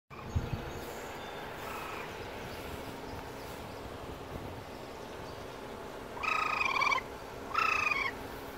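A young raccoon gives two drawn-out, whiny, harmonic cries after a quiet stretch.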